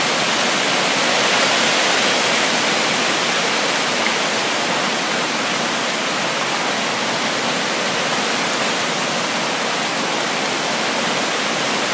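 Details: Steady, loud rushing water like a waterfall or fast stream fills every moment as a broad hiss, with no calls or animal voices rising above it.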